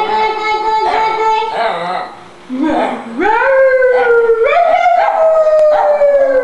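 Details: An old dog of about eight or nine howls out of fear. Long, drawn-out tones waver and rise and then slowly sink, with a short pause for breath partway through and voices faint behind.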